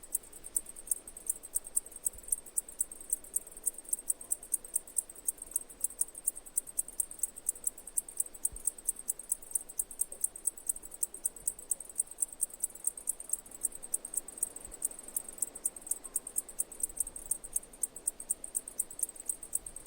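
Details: Singing cicadas give a dense, shrill, evenly pulsed chatter, several clicks every second, steady and unbroken from start to finish.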